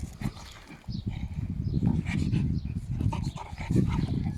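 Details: Male beagle puppy, 25 weeks old, playing outdoors in summer around his new dog pool and outside bed; low, rumbling pulsed sounds run almost continuously for about four seconds, with faint scuffling above.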